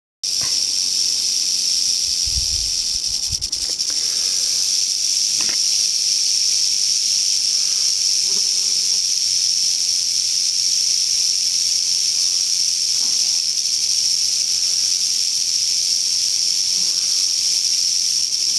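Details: Western rattlesnake (Crotalus oreganus) met on the East Molera trail, Andrew Molera State Park near Big Sur, California, August 15, 2010: a steady, unbroken hissing buzz lasts the whole stretch, with faint low thumps early on.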